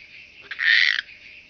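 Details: Chabrier's marbled bush-cricket recorded in early August at Arzo, Switzerland, through an ultrasound detector: one harsh buzzing chirp lasting roughly half a second, preceded by a brief click, otherwise quiet.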